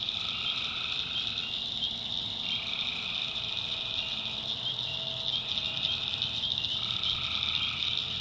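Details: Tree frogs at night in a swamp in the North Carolina backwoods: a dense, steady high-pitched chorus with overlapping lower trills that swell for one to two seconds and then fade, with a faint low hum beneath.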